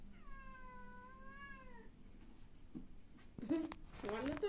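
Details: A domestic cat gives one long, drawn-out meow of almost two seconds, tonal and slowly sinking in pitch, followed by a pause and then bursts of clattering, rustling noise.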